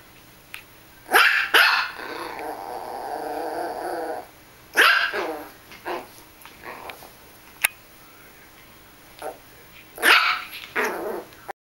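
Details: Russian Toy Terrier on a bed while playing with a mouse: two quick yaps lead into a sustained rough growl lasting over two seconds, followed by scattered barks, a soft snuffle and a final loud yap.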